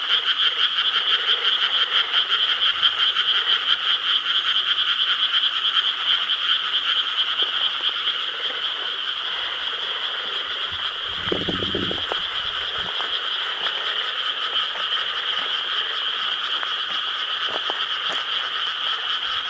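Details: Summer-night frog chorus from rice paddies in Korea, 4 July 2013, dense rattling croaks at first, then a slightly softer steady drone after a short low rumble midway.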